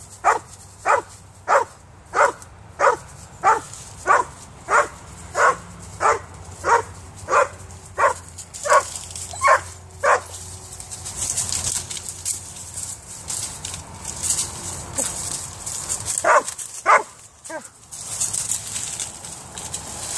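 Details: Female Vizsla Weimaraner mix frantically barking at a cat in a tree: a long run of about fifteen regular barks over ten seconds, then noisy rustling with a few scattered barks.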